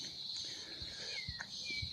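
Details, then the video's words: Cicadas drone in a steady, high-pitched continuous buzz outside a house in Orange, Australia, on a beautiful summer day after a lot of rain, with faint descending whistles and soft thumps nearby. "you can hear the cicadas in the background which is a sure sign of summer"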